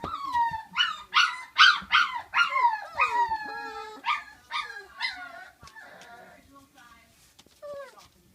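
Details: Flute's five-week-old puppies let out a string of rising-then-falling yelping howls, loud at first and fading out, with a faint human voice under the calls.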